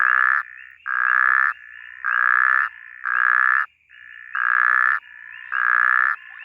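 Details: Snoring puddle frog (Phrynobatrachus natalensis) in bushveld, calling with loud, nasal, buzzy notes, each about half a second, repeated roughly every second.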